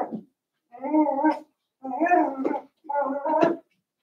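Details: Cavalier King Charles Spaniel puppies, Daisy's six litter merged with Robin's two pups, giving three drawn-out, wavering whines of under a second each. Each is a tonal, harmonic cry separated by short silences.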